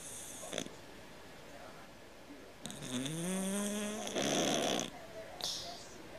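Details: Cat snoring like a man: a rough, buzzy breath whose low tone rises and holds for about two seconds, ending in a noisy rasping exhale, with short soft snorts before and after in a quiet room.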